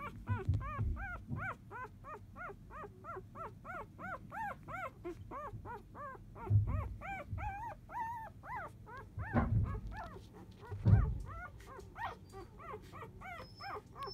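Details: Newborn Labrador Retriever puppies of field lineage, four days old, during a nap; a long continuous chorus of high arched whimpers and squeals from several pups, interrupted by a few soft thuds.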